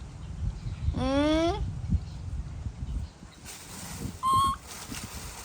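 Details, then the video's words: Baby monkey in a tantrum while its mother leaves, giving one strongly rising, harmonic wail, then after a pause a brief piercing high squeal, with low background rumble and faint noise. "Adorable Baby Monkey Tantrum When Mom Leaving"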